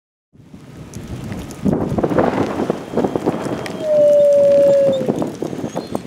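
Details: Fiona, a female wolf at Wolf Park, howls with her brothers Bicho and Kanti during a Sunday Midwest storm with high winds, driving rain and tornado sirens; a single steady, smooth tone holds for about a second over rain and gusts.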